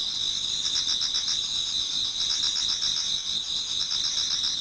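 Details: Japanese garden insects singing in autumn as dawn approaches: constant high trills overlaid by fast, regular chirp pulses, no other sounds standing out.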